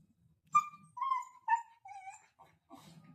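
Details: Siberian Husky crying after fighting with another dog: four high, tonal whimpers in quick succession, each drawn out and slightly falling, about half a second apart, then a fainter whine, with a person's low voice at start and end.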